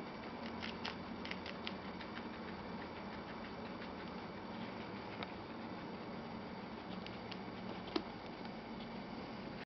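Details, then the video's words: Two pet guinea pigs, Chocolate and Milk, eat a lettuce leaf, their favourite veggies, indoors; soft, rapid crunching clicks and nibbling ticks come in irregular bursts over a steady low hum from the room. "Cute guinea pigs eating veggies"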